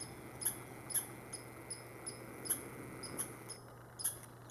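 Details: Red squirrel calling on 15 July 2020 at Saint-Calixte, Lanaudière: very high, thin squeaky chirps in a loose repeated series about two per second, over a steady low hum.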